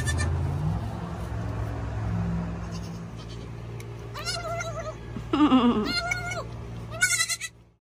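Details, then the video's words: Young female Nigerian Dwarf goat calling with her mouth full, producing quavering, wobbly bleats in three bursts near the end, preceded by steady low farm hum and chewing sounds. "Baby Goat Talking With Her Mouth Full"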